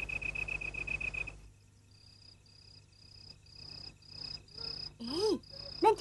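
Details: Field cricket singing at night: a steady pulsed trill for just over a second, then short high chirps repeated about every half second, with a voice speaking at the end.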